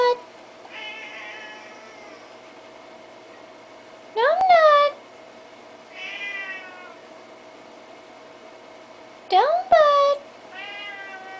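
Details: Old, fat pet Siamese cat meowing at its owner indoors: drawn-out wavering meows alternating with two loud, sharp rising yowls, over a steady background hum, with a little speech.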